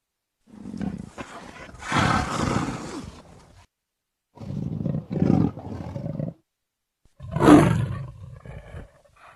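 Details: A leopard (Panthera pardus) gives three deep, rasping roars, each a growling burst lasting about two seconds.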